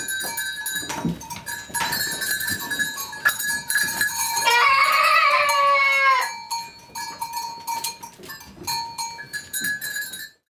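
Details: Goat bleating while goats and kids are being banded: one loud, tremulous, wavering bleat lasting about a second and a half mid-clip, set against continuous jangling bells ringing throughout.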